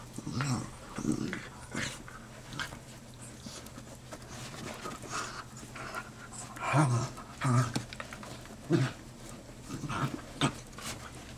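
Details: Two black and tan dachshund brothers, aged four and just over one, rescued from Georgia, 'talking' after tiring of wrestling: low grumbling grunts in short bursts amid panting and rustling, with a man speaking softly.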